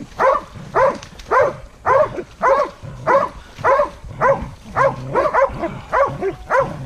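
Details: A hunting dog barks at a cornered wild boar in a steady, regular rhythm, about one loud arched bark every half second, with fainter dogs barking underneath.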